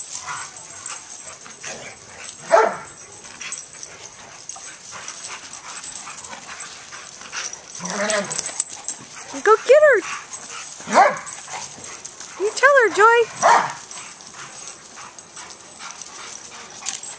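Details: Senior German Shepherd Joy and year-old Pit Bull Riley, rescue dogs awaiting adoption at Coastal German Shepherd Rescue OC, playing together: scattered sharp barks, then rising-and-falling yelping whines near the end, with a woman's encouraging voice and background hiss.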